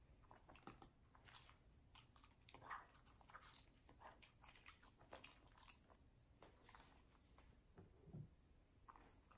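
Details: Female Samoyed named Middle chewing watermelon in a small room; soft, moist crunches and smacking come in scattered bursts, quieter than full bites, over a low steady background hum.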